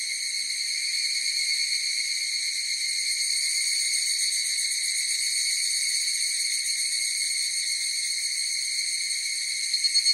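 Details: Chorus of higurashi cicadas: a dense, unbroken shrill ringing of layered high tones holding steady throughout, with a few sharper pulsing beats surfacing right at the end; no other sounds.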